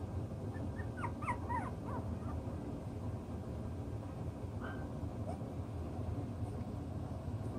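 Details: Six-week-old chocolate brown Toy Poodle puppies at play, sorting out their pecking order: a quick cluster of short, high whimpering yips in the first two seconds, then a few fainter squeaks, over a steady low rumbling background.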